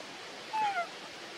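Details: Baby monkey Brady crying from hunger after its mother Libby refused to hug and feed it milk: a brief, clear, whistled squeal sliding downward in two quick parts over a steady hiss of background noise.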